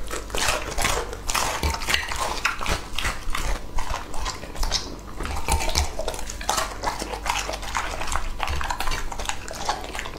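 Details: Crunchy, rapid bites and smacking from Lucky, a two-and-a-half-year-old English Labrador, eating raw meat. Dense, irregular clicks run without pause, mixed with clinks like dishes or cutlery.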